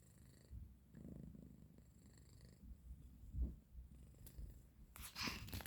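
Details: Domestic cat, a male, purring after its owner wakes it from sleep indoors; low rumbling purr pulses with soft breathy rhythm, followed by a burst of rustling handling noise near the end.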